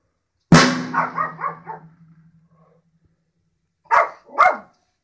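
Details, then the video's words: Pet dog barking at drums: one loud drum hit rings out and fades, then after a pause come two short, sharp barks in quick succession. "Dog barks at drums once again"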